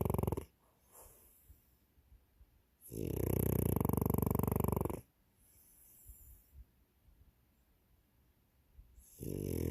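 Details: French Bulldog snoring in long, harsh, rattling snores about two seconds each, with soft wheezy breaths between and another snore starting at the end.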